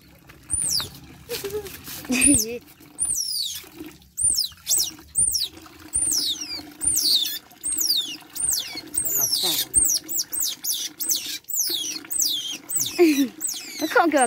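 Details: Young otter being bathed gives repeated shrill, arched chirps, each a quick rise and fall, in steady bursts about once a second. Trickling water and handling noises sound underneath.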